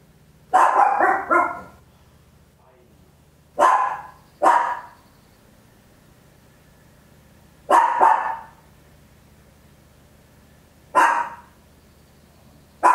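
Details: Tiny Papillon barking at home, captured in stereo with an Olympus LS-11: loud sharp barks in quick doubles and triples, grouped every three to four seconds, quiet background with a steady low hum between bursts.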